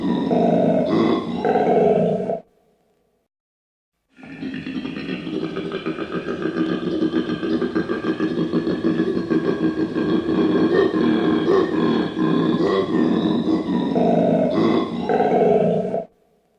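A koala gives deep, rasping grunts in a fast, rhythmic snore-like series, with a short pause partway.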